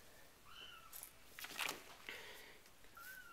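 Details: Soft, high kitten mews from a four-week-old RagaMuffin litter, the Winter Wonderland litter: an arching cry early, another faint one at the end, and rustling handling noise in the middle.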